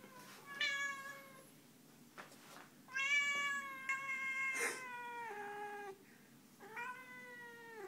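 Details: Domestic female cat indoors, growling and protesting while being picked up: a series of drawn-out, moaning yowls, each held about a second, some sliding downward, with quiet room background between them.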